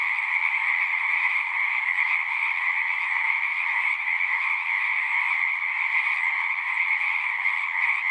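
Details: Numerous frogs singing at once, their quick pulsed trills blending into a continuous, even drone with a low and a high layer. Loudness holds steady and no other sounds are present.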